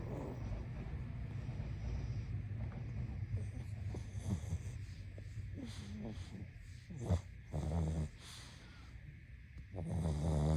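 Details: Pug asleep, breathing noisily: rough low snuffling throughout, then short snorting bursts near the seventh and eighth seconds and a louder rasping snore rising at the end, over a constant faint hum.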